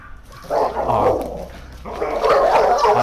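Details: A German Shepherd aggressive toward other dogs. Harsh, rapid, run-together barking comes in two loud, dense bursts with a brief dip between them.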